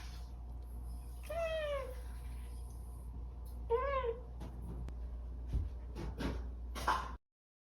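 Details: Domestic cat meowing indoors in the morning, begging for breakfast: two drawn-out, harmonically rich meows falling in pitch, about two seconds apart, followed by scattered clicks and small household knocks over a steady low hum.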